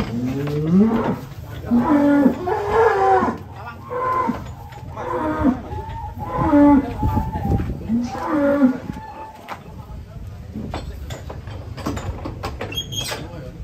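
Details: Sacrificial cattle described as giant, being loaded onto a truck in 2022, moo repeatedly in deep, drawn-out calls with rising and falling tones, several overlapping, amid the clatter and noise of the loading.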